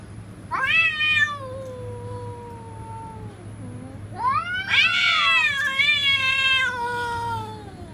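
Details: Cats threatening each other: two long wailing yowls, each rising sharply and then sliding slowly down over several seconds. The second is louder and more strained, over a steady low hum.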